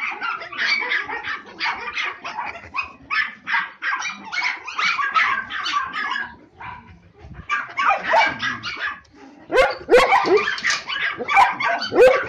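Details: Samoyed puppies aged three and a half months bark and yip excitedly, dense runs of high short barks, a brief quieter gap midway, then louder bursts.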